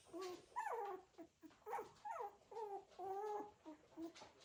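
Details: Cocker Spaniel puppies in a litter, moving about, produce repeated high whining cries, some rising then falling, a few drawn out, roughly every half second.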